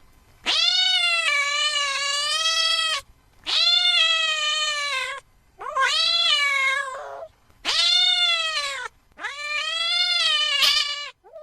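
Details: Cat meowing loudly, five long, drawn-out nasal meows of about one to two seconds each, separated by short pauses, with the third call wavering and breaking; no other sounds.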